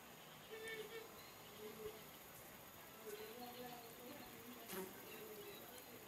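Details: Melipona beecheii stingless bees, locally called jicote manso, leaving and entering a kept hive at a home in Tortuga, Rivas, Nicaragua; short low buzzing flight hums come and go over a steady hiss, with faint background noise.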